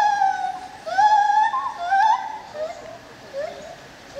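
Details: Lar gibbon at the ZOO in Opole sings a loud, sustained hoot that wavers and bends upward, almost song-like. Softer rising notes trail off afterward.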